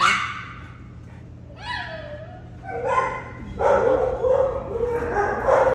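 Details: Female Belgian Malinois available for adoption, vocalising in a string of high whines and yelping barks that rise and fall, growing louder toward the end over a steady low hum.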